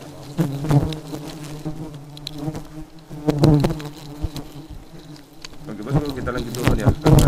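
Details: A swarm of agitated, aggressive honey bees drones steadily and low, with repeated loud swoops of buzzing as individuals dart near, roughly every second or two.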